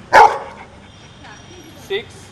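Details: One short, loud dog bark near the start, given in reply to a spoken subtraction problem, then near silence broken by a soft murmur and a faint brief sound near the end.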